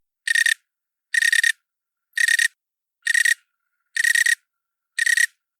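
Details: A cricket recorded a few inches away gives short pulsed trills, each about a third of a second, repeated roughly once a second; each trill holds several smaller long and short pulses.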